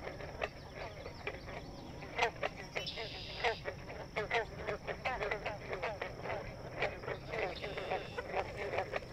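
A chorus of green frogs gives short, twangy plunks, each like a plucked loose guitar string.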